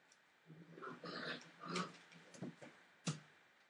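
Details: Forty-three-day-old Entlebucher Mountain Dog puppies, a litter born 28 December 2013, produce a rough, drawn-out low growl lasting over a second, followed by a few short grunts and a sharp yip indoors.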